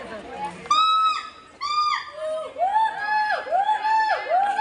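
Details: Gibbon at Dhaka's National Zoo, said to come from Africa and to have a humanlike call, drawing large crowds. Clear level whistled notes give way to deeper U-shaped swooping hoots in steady succession, with faint crowd voices behind.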